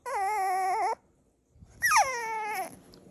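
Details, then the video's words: Puppy protesting bedtime indoors with two drawn-out whines: the first steady and nasal for nearly a second, then after a brief pause a higher cry that falls gradually and trails off. "Cute Puppy Whines"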